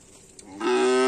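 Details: Bull-race cattle practising on the Asemanis field; after half a second of low background, a loud steady harmonic moo starts abruptly and holds to the end.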